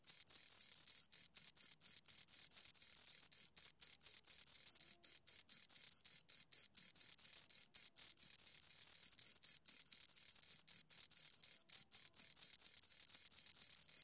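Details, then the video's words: Steady high cricket chirping from two insects, rapid pulsed bursts at one sharp pitch with a faint upper harmonic, short irregular gaps between runs, no background noise. "Two Crickets Chirp Sounds"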